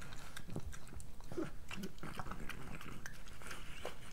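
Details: Pregnant French Bulldog named Moolah eating her breakfast, recorded close up for ASMR: dense crunching and wet chewing clicks in rapid irregular bursts, with low rumbling handling noise underneath.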